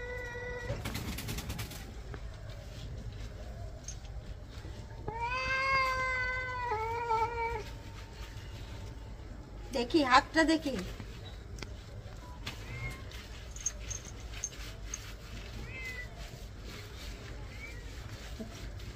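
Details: Domestic cat being bathed indoors, upset during the wash: one long drawn-out, wavering meow lasting over two seconds midway, with people talking in Bengali and brief splashing or handling noise around it.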